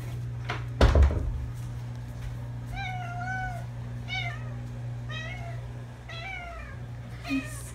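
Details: Pet cats that keep meowing, indoors, give a run of four or five meows about a second apart, each a bright harmonic cry rising then falling, after a sharp knock near the start, with a low steady hum behind.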